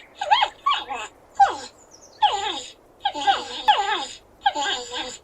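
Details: Porcupine giving a run of high, wavering whines and squeaky moans in short bursts, each note sliding downward with a nasal, harmonic tone. Calls come in clusters about every half second to a second, with quiet gaps between.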